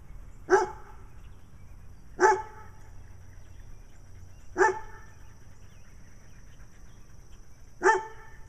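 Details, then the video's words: Single barks from a brown dog in Wadena, Minnesota, one of two dogs seeking attention with Stella, who has black eye patches; four sharp, evenly strong barks spaced about two seconds apart, with a faint steady tone behind. "Stella the Dog with Black Eye Patches acting nutty while Brown Dog barks in Wadena Minnesota."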